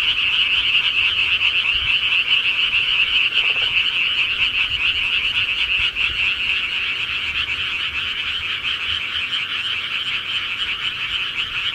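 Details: Frogs in the countryside at night, a dense chorus of rapid repeated croaks blending into one steady high buzzing trill that softens slightly toward the end.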